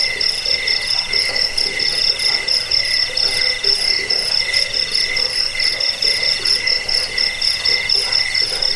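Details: Cricket chirps, used against rats, for sleep and for training birds; bright, evenly spaced high pulses repeat about twice a second over a soft, lower pulsing background.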